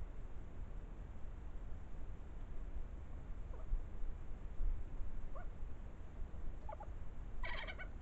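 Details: European badger cubs following their mother and playing as they climb a tree. Short squeaky chirps come sparsely in the second half, ending in a rapid, rattling burst of squeaks, all over a steady low rumbling background.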